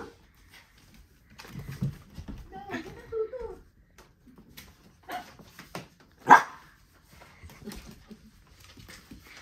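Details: Callie, a pet dog, playing indoors with her owner; a single sharp, loud bark bursts out mid-clip, set among quiet thumps and movement, with human speech and commands heard earlier.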